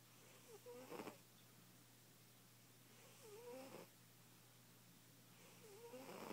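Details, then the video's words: A fat cat snoring while asleep. Long wheezing breaths carry a clear wavering whistle that rises and falls, repeated about every two and a half seconds against a low background hum. "Loud ass snoring kitty"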